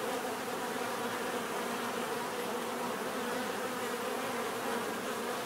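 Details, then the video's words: Swarm-like drone of bees heard naturally, dense unbroken buzzing with several humming tones overlapping at an even loudness throughout. "bees therapy relaxing natural buzzing sound"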